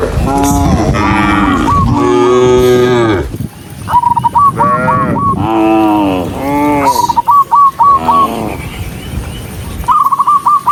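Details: Dozens of cows running along a rural road, several overlapping deep moos with rich harmonics in the first half, then more lowing broken by quick trilling pulses repeated in short bursts.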